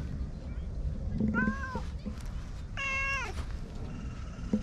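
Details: Ginger tabby and cream stray cats, always together, resting on a bench: two meows, a short falling one then a louder longer one with a downward tail, over low outdoor background noise.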